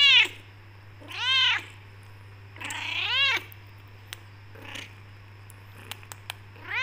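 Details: Becky, a talkative black tortoiseshell Persian cat kept from leaving a room, meows back at her owner: three arched, harmonic meows about a second apart, then quiet with scattered taps and another meow beginning.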